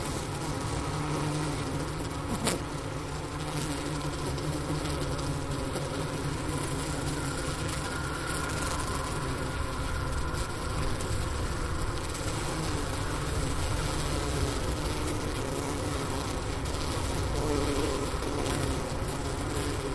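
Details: Wintering honey bees humming in their hive, Ohio State University Wooster campus, January 16, 2024, about 4 PM, outside temperature 15°F, voice recorder placed by the inner-cover hole next to sugar brick remains; continuous deep drone with one brief click.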